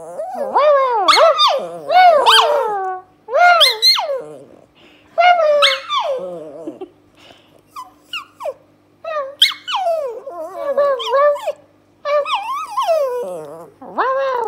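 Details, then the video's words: Dog responding to a human bark with a rapid string of yodelling whines and howls, each phrase rising then falling in wobbling arcs, bursts of about two to three seconds broken by brief gaps, clear and close. "Talking dog responds to human bark"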